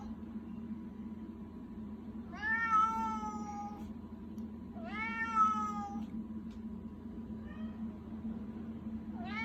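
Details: Pet cat begging: two loud, drawn-out meows of about a second and a half each, rising then falling, about three seconds apart. A faint short meow and the start of another follow, over a steady low hum.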